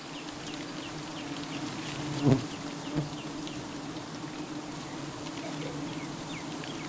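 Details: Honey bees buzzing during honey hunting: a steady low droning hum runs throughout, with a sharp knock near the middle, a smaller one soon after, and faint high chirps in the background.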